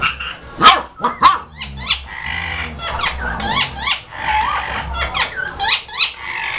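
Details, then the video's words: Play fight between a German Shepherd puppy and its mother, recorded in 2012: rapid high yelps and squeaky barks over low rumbling growls, repeated in quick bursts about every half second. "German Shepherd Puppy fighting with Mother"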